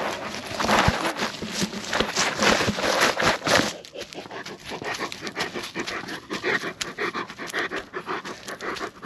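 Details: Lucia, a Great Pyrenees, out on a night walk with Timmy the Goldendoodle; steady breathy panting in quick uneven puffs, following about four seconds of loud rustling, footsteps and a short spoken command.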